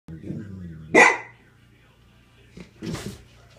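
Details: Golden Retriever. A Golden Retriever lets out a single abrupt, forceful bark, then a quieter, huffing bark a couple of seconds later. Low murmuring sounds come before the first bark, and a person speaks briefly.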